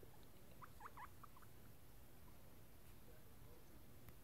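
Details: Guinea pig giving a quick run of short, high squeaks, with about six chirps in the first second and a half, followed by quiet steady room hiss.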